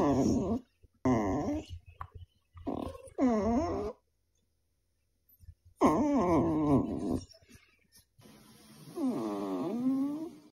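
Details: Pet dog vocalizing indoors in short bursts of whiny, howl-like 'talking', its voice sliding up and down in pitch, with pauses of silence between phrases and a longer wavering moan at the end.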